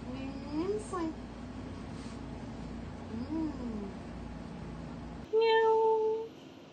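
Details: Domestic cat reacting to a foot spa massage indoors, giving soft rising-falling meows near 0.5 and 3.3 seconds over a steady background hum, then a flat electronic beep tone near the end.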